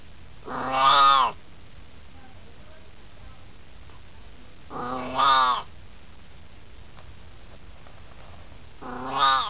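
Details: An 18-year-old Siamese cat, hanging out and chatting, gives loud, drawn-out, rising-then-falling meows about every four seconds.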